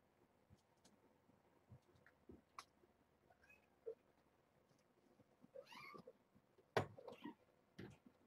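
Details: Newborn kittens, among seven born on June 21st to the former stray Nala Se at Purrfect Pals, mewing at breakfast during formula feeding; short rising high meows, several clustered near the end, with soft indoor handling noises.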